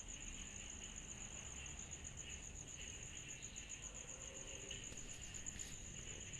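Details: Cicadas calling through a summer night: a steady, evenly pulsed piercing trill, with faint intermittent chirps beneath it and a quiet low-pitched background murmur.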